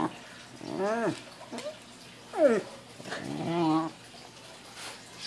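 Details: Pembroke Welsh Corgi named Lakota, a female pet, freaking out at a balloon she dislikes: several rising-falling whining yelps with arched harmonics, in short bursts, with quiet room noise between.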